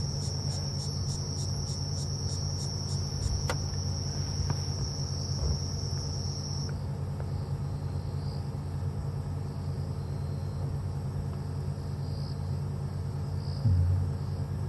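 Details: Several crickets, among many kinds with some cicadas, chirp steadily in a high-pitched African safari chorus at sunset on October 10, after the birds have stopped calling. One cricket pulses in rapid, regular trills.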